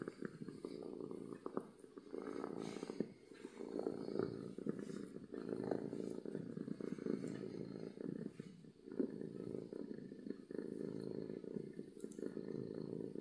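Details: Domestic cat purring contentedly, a deep continuous rumble that swells and eases gently with breathing, steady and loud throughout with light background crackle.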